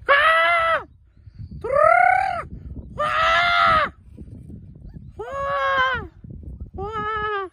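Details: Siberian Husky producing five long, harmonically rich yowls in a row, each under a second, rising then falling, the last two lower and smoother, separated by brief pauses with faint background noise.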